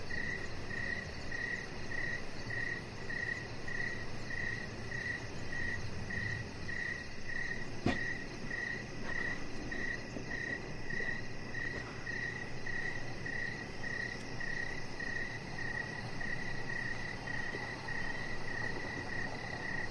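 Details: Crickets sing in the evening beside a deck, their high, pulsed chirps evenly spaced throughout, with one sharp click midway and a low rumble of background noise.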